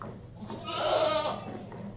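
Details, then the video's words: A lone goat during hand milking utters one wavering, vibrato bleat lasting about half a second, with faint handling noise before and after. "One Goat Hand Milked"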